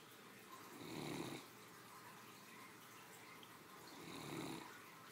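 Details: Sleeping three-year-old Great Dane female, resting after a midday meal, gives two slow rasping snores about three seconds apart, each swelling then fading, in a quiet indoor setting.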